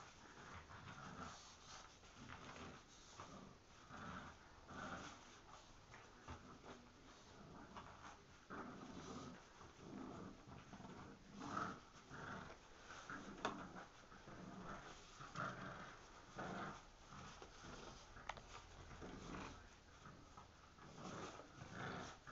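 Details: Two bulldogs, an English Bulldog puppy named Gus and a French Bulldog named Louie, tugging a plush chain in play inside a small room; steady throaty growling and snorting pulses continue throughout, with scuffling between bursts.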